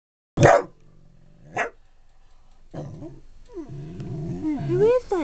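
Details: A pet dog barks at its own reflection indoors: two sharp, loud barks about a second apart, then an owner talks in a high, coaxing voice, urging it on and praising it.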